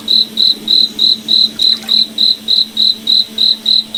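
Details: Cricket at night in a forest, steady shrill pulses repeated about three times per second over a faint low droning hum.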